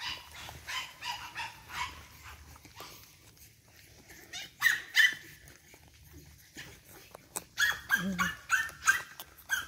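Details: Energetic 8-week-old Boston Terrier pups from one litter give short, high yips, a pair midway and then a quick series of repeated sharp yips near the end, over scuffling and faint background noises.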